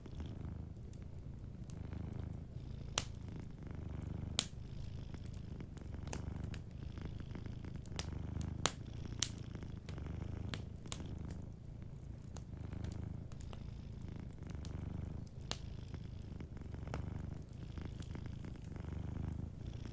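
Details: Sleeping cat purring softly beside a warm fireplace: a steady low rumbling purr pulsing in long inhale-exhale waves, with sharp crackles and pops from the burning fire scattered throughout.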